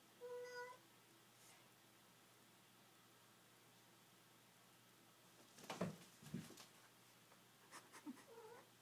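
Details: Male house cat playing with a candle ribbon in a living room. A short, level meow opens the recording, followed by quiet, then clattering thumps of play and a brief rising chirp near the end.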